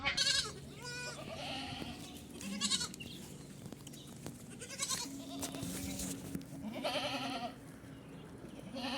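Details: Ten baby goats bleat repeatedly while drinking milk, quavering nasal calls from several kids overlapping; finding: Goat.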